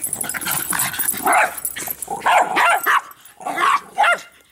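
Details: Three dogs named Bix, Banjo and Button playing with a Jolly Ball, giving harsh barks and growls in uneven bursts, several loud yaps clustered near the end of the short stretch.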